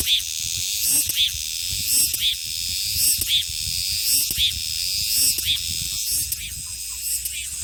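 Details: Shrill summer cicada song: an unbroken metallic high hiss with rhythmic rising pulses close to once a second, many insects blending into one wall of sound.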